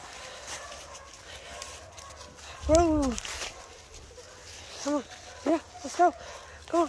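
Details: Cat meowing on a January 18, 2023 outing in the woods, its first time there, while its owner worried it was in trouble: short arched, rising-then-falling meows, one near the start and then four in quick succession, over faint outdoor hiss.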